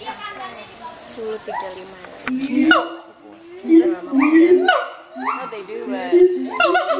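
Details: An adult siamang pair at Schmutzer Primate Center duets to advertise territory, with resonant low booms alternating with sharp upward-sweeping shrieks in bursts separated by brief lulls.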